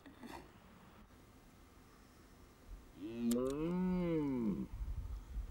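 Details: Red deer in the autumn rut at the end of September, Hohe Tauern National Park, Austria; after quiet outdoor background noise, a single drawn-out moaning roar rises then falls over about two seconds, followed by rustling.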